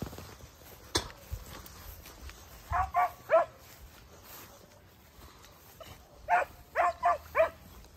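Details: Segugio Italiano dogs, puppies aged 8 and 17 months alongside their father Geko, let out two small groups of three and four bright barks separated by a pause, over low rustling noise.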